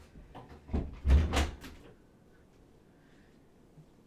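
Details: Several dull knocks and thumps, like a cupboard or door being handled indoors, are followed by a quiet room with faint background hum.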